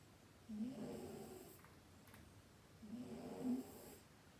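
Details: Sleeping cat snoring softly: two low, rasping breaths about two and a half seconds apart, each a rough droning rumble, in an otherwise quiet room.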